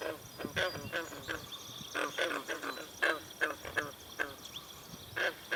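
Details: Green frogs calling in chorus at a pond at Brillion Nature Center, with swallows drinking nearby; short, broad, clicking croaks from several frogs at irregular intervals, a few every second, over a quiet background.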